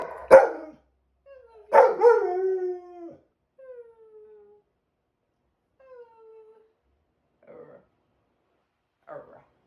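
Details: Pet dog howling with its owner indoors during Tropical Storm Debby; a sharp burst, then a drawn-out wavering howl that slides downward, followed by softer falling moans and brief quiet yips.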